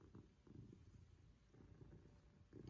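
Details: Maine Coon cat Pippin, an affectionate male, purring during a cuddle at home; a low, steady rumbling purr with regular breaths and no other sounds.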